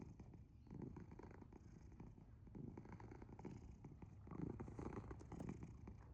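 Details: Loud, gravelly purring from the sleeping cat Asher, a low vibrating hum that pulses with slow breathing and grows stronger near the end, recorded close up in a quiet room.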